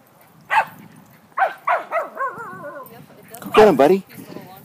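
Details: Dog at Central Bark, urged on with 'go get the puppy', giving short sharp barks and yelping yips, some with wavering whine-like tails, spaced irregularly over a few seconds with low rumbling background.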